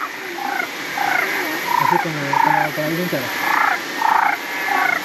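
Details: Frogs, everywhere after rain, in the Gondwana rainforest of Springbrook National Park near the Gold Coast, Queensland, Australia, croak in short, repeated bursts, several callers overlapping against a steady high hiss.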